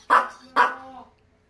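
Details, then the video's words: Maltese dog indoors, recovering at home after cruciate ligament and spay surgeries, barking angrily: two sharp mid-pitched barks about half a second apart, the second trailing off, with a person talking nearby. "화가 난다 화가 난다😱 | 말티즈는 참지않긔"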